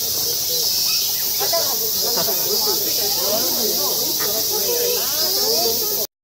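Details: Otter calling while swimming at Ueno Zoo, August 2016, gives a run of squeaky, wavering chirps rising and falling in quick succession over a loud, steady rushing hiss of water; otter.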